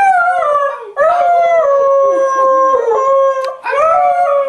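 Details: Airedale Terrier singing: long, sustained howled tones with rich harmonics, a steady held note in the middle, breaking and resuming in three phrases.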